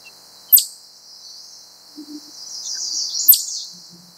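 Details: Wild chipmunk calling, said to stand up and call ever faster; here two sharp, very high chirps that sweep steeply downward, about 2.7 seconds apart, over a steady high hiss with a few faint low thumps.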